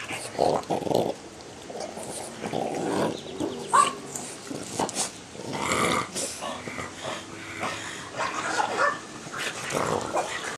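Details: Four French Bulldogs trade rough, rumbling growls and snorts in bursts as they play-wrestle.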